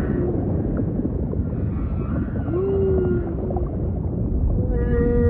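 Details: Humpback whale song, faint and mostly buried in low ocean rumble: a soft gliding moan around the middle and a harmonic tonal note rising at the end.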